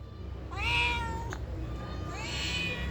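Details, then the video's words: Domestic cat answering in a conversation with a person, giving two clear rising-falling meows about one and a half seconds apart, with a brief click between them and low hum beneath. "Cute Conversation With A Responsive Cats"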